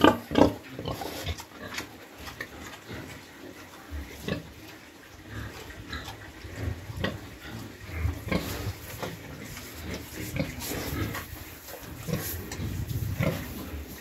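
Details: Penned sow that has just given birth, with piglets, in the cold season as rice hulls are put down and the young are heated. Scattered low grunts and brief squeaks over a steady noisy background.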